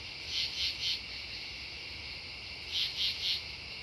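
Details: At Devonwood Conservation Area on September 10, 2015, true katydids give rasping triple-pulsed calls, two bursts of three harsh chirps separated by a pause, over a constant high insect drone.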